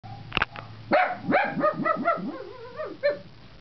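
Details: Dog trained to yodel, using it in a guarding mood while protecting her owner from puppies outside the house: a sharp bark, then a run of rising, warbling yowls and yips sliding up and down, with a person's voice faintly present.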